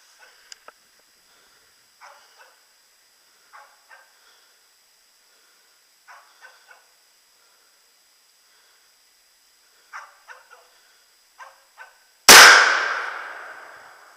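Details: Hunting dog barking during a moose hunt at Luhalahti, where its barking leads to a cow moose being shot. Distant, short barks in small bursts every one to two seconds over a quiet background, ending in a loud gunshot.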